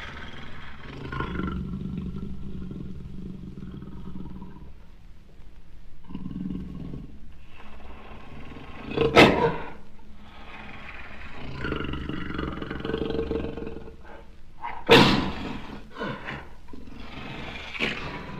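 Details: Jaguar giving rough, low growling roars in bursts with pauses between them, broken by two sharp loud cracks partway through.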